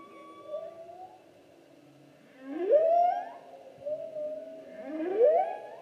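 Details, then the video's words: Song of a humpback whale from the 2016 season: a gently rising hum followed by strong upswept whoops repeated roughly every two and a half seconds, clean and tonal over a faint low background. "Humpback Whale Season 2016--Photos and Whale Song"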